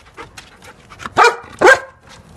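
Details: Female Labrador Retriever at play gives two short, loud barks about half a second apart, each rising and falling, after a few faint quiet sounds.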